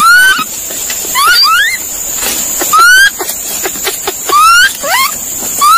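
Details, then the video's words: Monkey giving rapid, upward-sweeping whistled calls, some in quick doublets, with faint clicks between them and a continuous shrill insect hum behind. "Sound Of Monkey/monkey Calling Sound"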